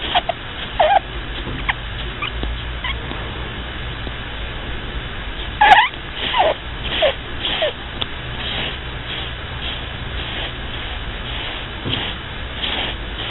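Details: A pet rabbit snores while asleep. Faint breathy snuffles repeat irregularly, with occasional thin squeaks and one sharp click near the middle, over a constant low background hum.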